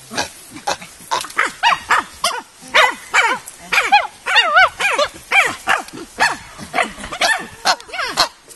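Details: Several chimpanzees at the Nigerian Chimpanzee Centre, Afi Mountain Drill Ranch, Nigeria, produce rhythmic, arching, wavering hoots and shrieks, rising and falling in quick succession, with voices overlapping in a continuous excited bout.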